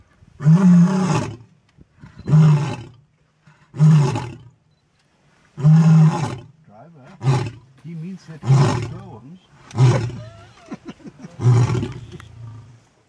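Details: A male white lion calls to his females in late afternoon at Pumba Private Game Reserve, Eastern Cape, South Africa. He gives a series of about eight deep, booming roars spaced under two seconds apart, the later ones shorter and grunting.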